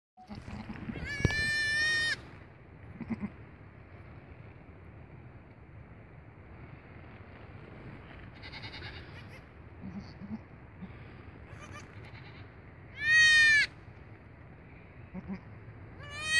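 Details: Late-born goat kid greeting its owner: a short wavering bleat early on, a louder, higher, quavering bleat near the end and a final bleat starting at the close, over a quiet background with faint rustling.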